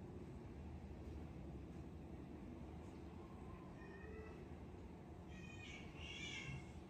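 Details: Rescued cat named Miracle, described as lazy now, no longer playing and only eating and sleeping; a few faint, short high meows near the end over a steady low background hum.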